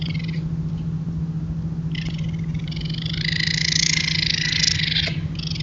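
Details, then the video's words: Raccoons caught on a trail camera give harsh, raspy screeches and churring growls while mating, over a steady low electrical hum. "The Sounds of Raccoons Mating - Caught on Trail Camera"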